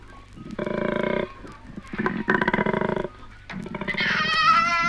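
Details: Koalas courting in Australia, from a 1968 vinyl wildlife recording: short bursts of low, rasping, pulsed snoring grunts separated by pauses, ending in a higher wavering tonal cry.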